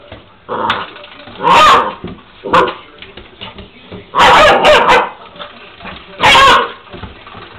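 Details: Angus, a Labrador puppy, playing with a door stopper: bursts of yappy barks and excited vocal sounds in irregular clusters, with the springy twang of the stopper and some household noise.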